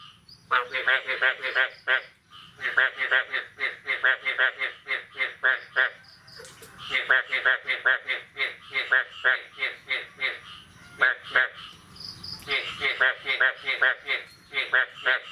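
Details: Frogs calling on the morning of 9 May 2022, after the first rain of the year: bursts of rapid, harsh, pulsed croaks lasting a few seconds, broken by short pauses, with overlapping callers and a faint background hiss.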